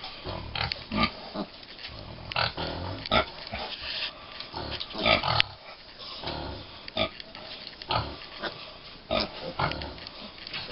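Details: American Guinea Hog piglets aged five weeks on a farm: short bursts of grunting and snuffling come in clusters every second or two, with rustling between them.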